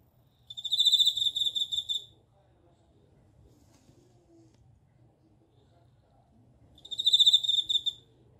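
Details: A bell cricket gives one ringing, bell-like trill of about 1.5 seconds, falls quiet for nearly five seconds, then repeats a similar pulsing trill. Faint low hum in the background.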